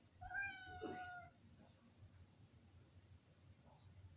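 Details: Village cat demanding the door be opened, calling from above the kitchen: one loud, drawn-out meow that rises then falls, followed by faint room noise.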